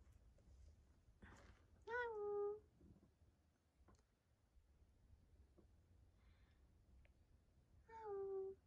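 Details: Two short kitten meows, rescued weak kittens found on the way home from a family funeral, indoors in a small room; each meow falls and then levels off, the second about six seconds after the first, with faint clicks and quiet background between.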